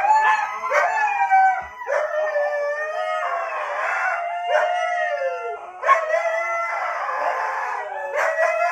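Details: Siberian Husky howling in answer to a person's awoo: long tonal wails that rise and fall in pitch, broken by short gaps, with bright overtones and a few quick yelping breaks.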